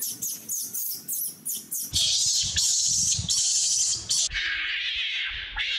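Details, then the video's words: Adult monkeys crying loudly because they want milk: a run of short, sharp, high-pitched cries that gives way to long, shrill, piercing wails. "adult monkeys crying loudly want drink milk"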